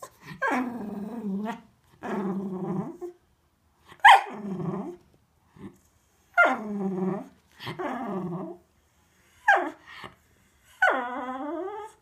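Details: A Cocker Spaniel gives drawn-out, moaning whines that slide downward, wanting to go out for a walk.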